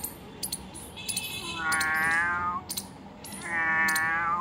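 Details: Domestic cat found about two kilometers from home, giving two drawn-out harmonic meows roughly two seconds apart, each swelling and fading, with clicks and rustling handling noise between them.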